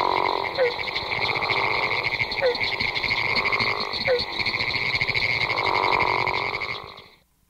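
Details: Florida gopher frogs snore in a dense breeding chorus, mixed with barking treefrogs' spaced, abrupt barks and the unbroken high trilling of pinewoods treefrogs. The whole chorus fades out at the end.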